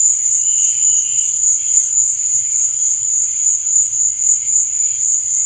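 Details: Crickets chirping at night: a dense, unbroken high-pitched shrill hum, with fainter lower chirps rising and fading every second or so underneath, and no other sounds.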